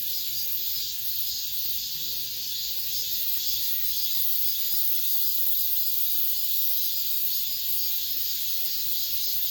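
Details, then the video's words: Cicadas of the last summer days singing in an apartment complex, a constant piercing buzz layered from many callers, with a faint thin whistle-like tone briefly showing in the middle. "올 여름 마지막 매미소리"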